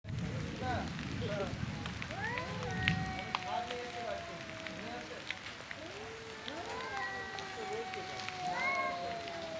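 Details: Two male cats fighting over territory and breeding trade drawn-out, wavering yowls with shorter rising and falling wails that sound like a crying baby.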